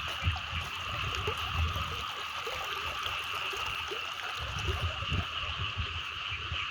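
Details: Small frogs and larger frogs chorusing in flooded rice fields after rain the night before, recorded while walking the field edges: a dense, continuous droning trill of many callers, with low rumbling and handling noise underneath.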